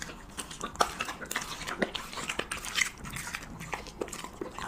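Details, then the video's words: Siberian Husky eating cheese and meat, close-up: a steady run of sharp, wet clicking and smacking bites, several each second, with short crunchy bursts and a quiet background. "[ASMR MUKBANG] HUSKY REVIEWING CHEESE MEAT"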